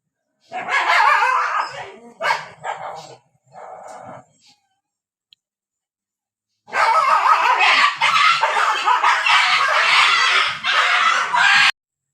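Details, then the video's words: Dogs fighting in the rainy season, barking heavily: a burst of rough, overlapping barks and snarls, a short quiet gap, then about five seconds of continuous, dense, harsh barking and snarling. "all dog 🐕🐕🐕🐕🐕🐕 barking with all dog fighting and rainy season"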